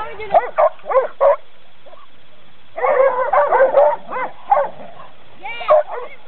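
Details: Coon dogs during training, giving short arched barks in separate bursts, then a thicker cluster of overlapping barks near the middle, with people's voices mixed in between.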